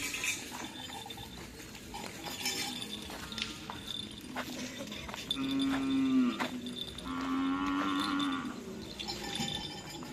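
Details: Cattle at karapan sapi bull race training on the Asemanis field in Pamekasan, preparing for an event after Ramadan; two drawn-out, steady, level moos in the middle, over jingling bells, clinks and busy crowd noise.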